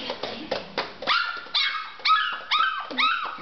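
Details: Chocolate Labrador Retriever puppy Mr Snuffy, a male who learnt to walk and bark that same day, gives high, thin yelping barks. Each bends downward, and they repeat about every half second after a quieter start mixed with soft voices.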